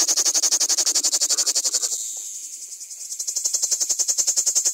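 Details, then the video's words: Close-range common cicada singing a rapid train of sharp, evenly spaced buzzy pulses that weaken briefly mid-phrase, then strengthen again into a steady pulsing rattle. "Как поёт цикада (Lyristes plebejus)"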